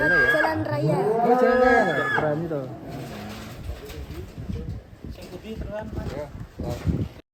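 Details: Cattle seen while a child rides a cow: one drawn-out, deep moo of about two seconds, rising then held steady, opens the recording, followed by people talking and scattered handling noises.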